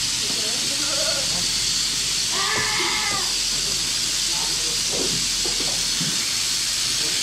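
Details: Angora goat on shearing day, giving one drawn-out, strongly harmonic bleat lasting under a second, with softer wavering calls before it. A loud, steady hiss runs throughout, and quiet voices mix in.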